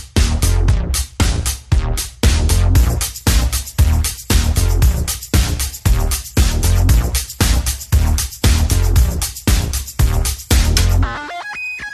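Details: Driving electronic dance music with a heavy, steady bass beat throughout, ending in a brief bright synth flourish; no animal sound.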